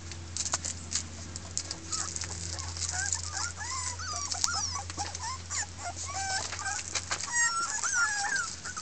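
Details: Six red Miniature Pinscher puppy girls, a 2013 Keltic Kennels litter, protesting in discontent: short wavering squeaky whines and yips, broken and overlapping, mixed with scattered clicks and scuffling against a constant low hum.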